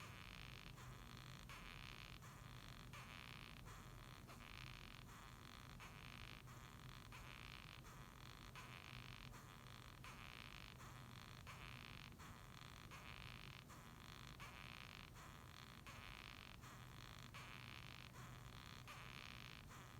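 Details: Rasping, creaky squeaks from a Japanese rhinoceros beetle, a long unbroken series of short scratchy pulses coming about one and a half times per second for twenty seconds, with a faint steady hum beneath.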